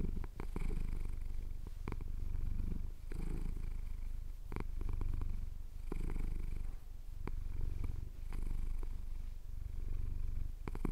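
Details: Chin-scratched male cat producing a sustained low purr, rhythmic surges roughly every couple of seconds as he breathes in and out, with scattered light clicking sounds.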